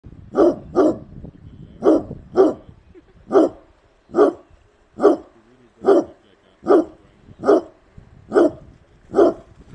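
A Basset Hound barks in deep, resonant single woofs, repeated roughly once a second.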